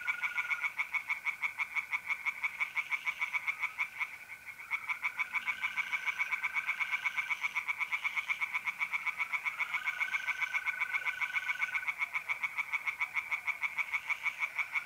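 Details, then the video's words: Tree frogs singing in a pond on a mid-April night in north-eastern Italy: dense rapid rattling croaks pulse continuously, while a steady high mole cricket trill runs underneath, breaking briefly near four seconds. "relaxing singing tree frogs in pond"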